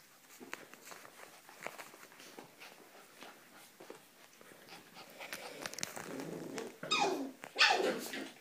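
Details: Border Collie, ee-red (rouge australien), playing with one-month-old puppies indoors; quiet scuffling and footsteps build to loud, rough growly yelps near the end.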